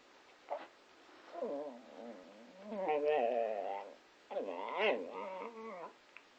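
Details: Patterdale Terrier 'talking and singing', apparently along to Row Row Row Your Boat. Two drawn-out, wavering, whining yowls with a quavering tremble, separated by a short pause; a faint click at the start.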